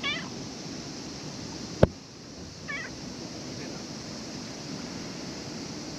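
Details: Stray cat visiting at a ferry terminal with sailings cancelled, wanting attention; a faint meow at the start and another short meow midway, a sharp knock between them, over steady wind noise.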